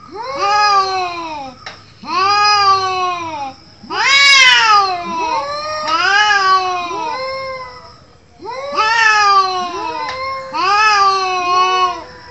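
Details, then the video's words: Yowling from cats in a fight: a run of arching, moaning wails, each rising then sliding down, repeated roughly every two seconds with overlapping voices and brief gaps. "Cats Fighting with sound"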